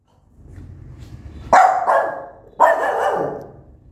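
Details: Mother dog angrily barking at her newborn puppies: two loud, rough barks about a second apart, each with a doubled, raspy ending, over a soft low background rumble.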